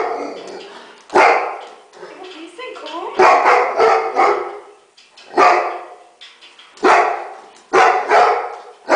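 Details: Excited male Labrador Retriever barking at its own image or another dog on TV; sharp barks repeated every one to two seconds between quieter stretches, with background voices.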